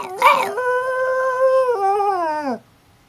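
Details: Domestic dog howling like a wolf: a brief rough yelp, then a steady harmonic howl held level, stepping down once and sliding lower before ending abruptly after about two and a half seconds.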